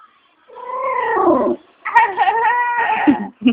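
An Aspin dog gives drawn-out, wavering howl-like yowls that sound almost like talking.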